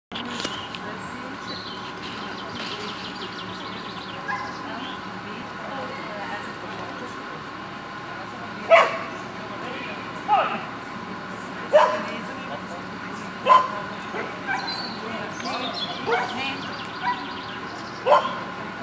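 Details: A Beagle during the free walk of an obedience contest, giving about seven short sharp barks spaced one to two seconds apart over steady background crowd murmur and voices.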